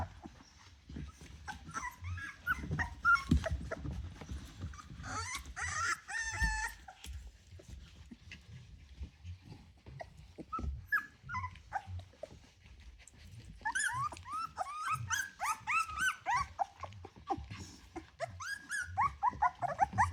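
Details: Ten Rottweiler puppies, 24 days old, in a litter starting to play and interact: clustered rising and falling whines and squeals come in busy bursts, with a quieter stretch midway, over constant rustling and bumping.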